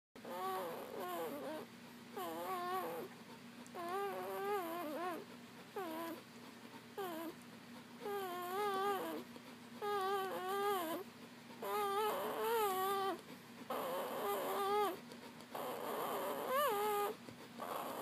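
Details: Newborn Papillon puppies nursing from their mother after birth, giving high, wavering whines and squeaks in repeated bursts of a second or two, with short quiet gaps between them, indoors in a small room.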